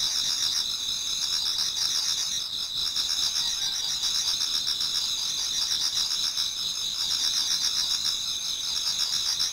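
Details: Autumn insects in a Japanese garden near dawn, many singing together. The overlapping shrill trills form a constant high-pitched wall of pulsing sound with no pauses.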